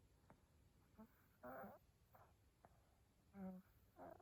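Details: Sleeping cat snoring: short rasping, breathy snorts and softer voiced breaths at uneven intervals, with faint clicks in a quiet room.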